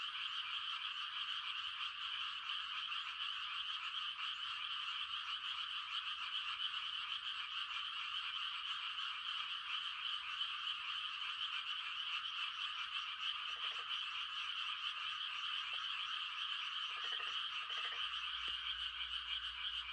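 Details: Frogs giving mating calls on a quiet country night in the countryside: a dense, unbroken high trilling chorus from many callers, with a few short, lower croaks breaking in near the end.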